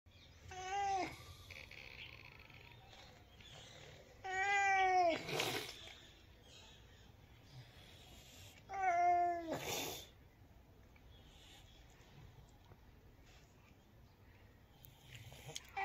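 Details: Cat meowing: three drawn-out, harmonic meows spaced about four seconds apart, each rising then falling, with faint rustling and quiet background between calls.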